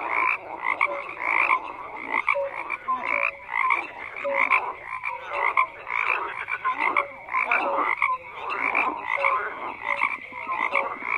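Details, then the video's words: A dense chorus of frogs croaking, with many overlapping calls forming steady mid-pitched bands. Short, raspy croaks pulse in irregular bursts about every half second, and brief lower tonal notes rise through the mass of sound. "FROGS CROAKING"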